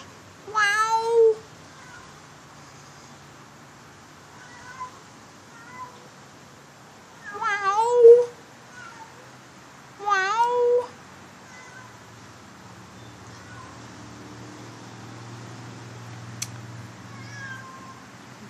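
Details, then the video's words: Domestic cat giving three loud, drawn-out, wavering meows a few seconds apart, each rising then sagging in pitch and sounding rich and harmonic, with quiet room noise in between. "Howler Monkey Cat"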